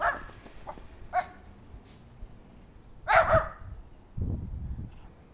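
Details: Schipperkes playing in the snow in their backyard on February 9, 2010, give a few sharp, high, scattered barks, with low rumbling noise in between.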